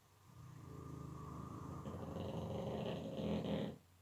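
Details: Pug in deep sleep snoring indoors: one long rasping, rattling breath building over three seconds, louder and harsher in its second half, with a dense low pulsing buzz.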